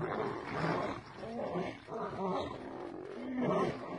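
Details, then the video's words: Lion attack, a female mauling a male: harsh, raspy snarls swelling and fading in three or four waves, with gritty harmonic tones running through each burst. "수컷 사자가 암컷 사자에게 무자비하게 고문을 당하고 물렸다 - 사자의 공격"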